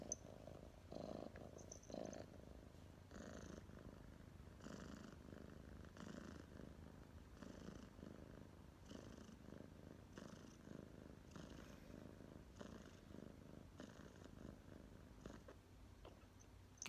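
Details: Pet cat Tomma's purr from 23 October 2019: deep, even rumbling that pulses with each breath roughly once a second, sustained for the whole stretch in a quiet room.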